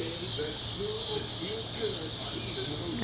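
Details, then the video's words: Periodical cicadas of Brood XXIII, the Mississippi Valley Brood, singing on a June 2015 summer evening: a steady, high, unbroken droning hiss fills the air while a man talks nearby in the foreground. "Cicadas Mississippi Brood XXIII Periodical Cicadas Making Sound / Singing / Noises"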